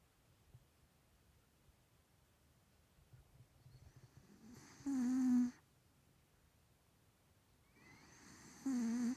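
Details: A sleeping 3-year-old male Maine Coon cat with a bad nose snores in two loud, rasping, buzzy breaths a few seconds apart.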